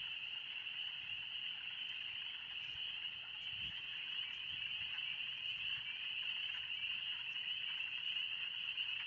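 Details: Chorus of spring peepers in the Oxford Woods on an early warm spring day, a continuous piercing wall of high peeps blending together, very loud and unbroken, with little else audible.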